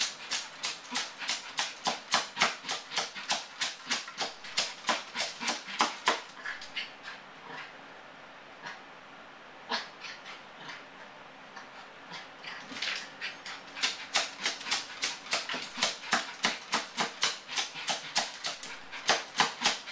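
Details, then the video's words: Yorkshire terrier, a male, left alone and distressed by separation anxiety: fast bursts of shrill yapping at about three per second, a pause of several seconds midway, then the frantic barking resumes. "Separation Anxiety Yorkshire Terrier"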